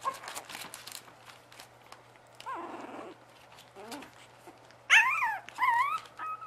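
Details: Bugg puppies whimpering and whining: scattered soft squeaks, then loud high wavering whines that swoop up and down toward the end, with light clicks and rustling in the room.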